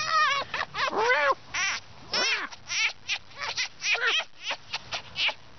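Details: Pet fox playing at home on a chilly winter morning, giving a rapid string of short, high, whining cries that bend up and down in pitch, some arching sharply, delivered in uneven bursts with brief pauses between.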